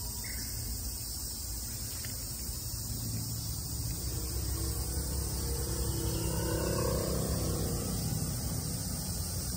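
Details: In summer 2022 in Japan, a cicada's steady, high shrill buzz runs unbroken over a low rumble of background noise.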